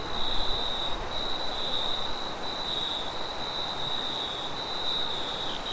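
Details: At night in a forest, crickets keep up a steady, high, shimmering trill over a low rush of wind.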